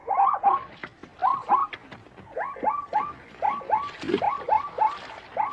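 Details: A zebra's short run of hoarse, hiccuping yelps, each note rising sharply then falling, delivered in pairs and triplets about every half second over faint background noise.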